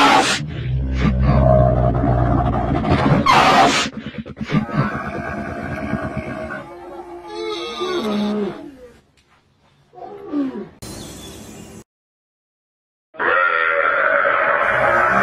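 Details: A camel roars and groans loudly in low, throaty bursts, then gurgles more softly, with a silent gap before the harsh, raspy calling resumes.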